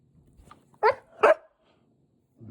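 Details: Siberian Husky during morning play time, giving two short loud barks about half a second apart, each a harsh burst with a bright mid-range core, followed by quiet room background and a faint low sound at the end.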